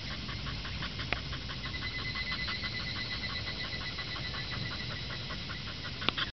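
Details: Higurashi cicada calling in the background, kana-kana then keke-keke, heard as a continuous train of fast, regular pulses with a steady hum beneath and a sharp tap near the end.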